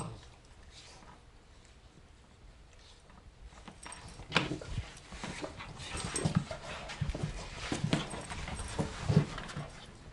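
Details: Play-fighting indoors between two German Shorthaired Pointers, a small spunky male and a bigger female; deep rumbling growls build after a quiet start, mixed with scrapes and thuds of wrestling.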